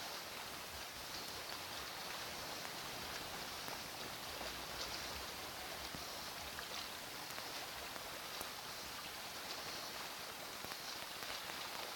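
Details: Steady broadband hiss of wind and rushing water, with no animal calls standing out.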